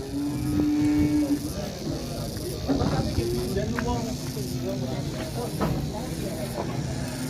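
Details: Large sacrificial cow weighing about a ton, being unloaded from a truck: a drawn-out, level moo at the start, then a rising bellow, with people talking throughout.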